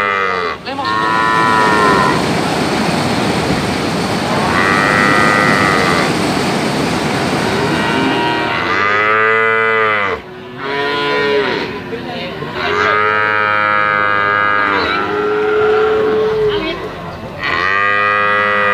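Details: Brahman and Limousin calves giving repeated drawn-out moos, rich and harmonic, sliding up then down. Several calves overlap in near-continuous calling over a constant background hiss.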